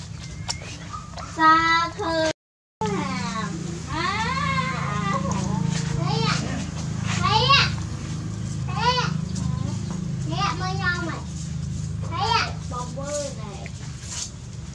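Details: Hungry puppies nursing from their mother, a litter whining at once: overlapping high, wavering cries that rise and fall, some sliding upward in quick bursts, with a steady low rumble underneath and a brief gap of silence early on.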